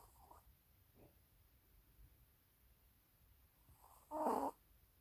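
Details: A Maltese puppy snores softly, with faint breaths and then one louder, rasping snore.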